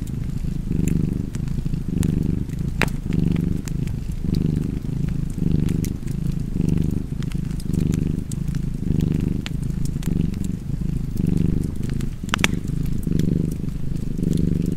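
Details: Cat purring by a fireplace: deep, continuous rumble rising and falling with each breath in and out, loud and close, with intermittent crisp crackles and pops from the fire.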